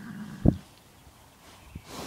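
A horse gives a brief, deep, rumbling sound followed by a short puff of breath.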